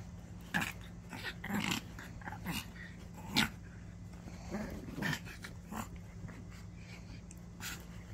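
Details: A small ten-year-old Maltese dog playing tug gives short, rough growling bursts at irregular intervals over a steady low hum.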